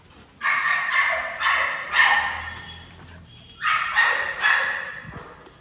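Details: American Pit Bull Terrier during a workout, barking in two bursts: three loud, harsh barks in quick succession, a pause, then two more; a man urges it on with "come on".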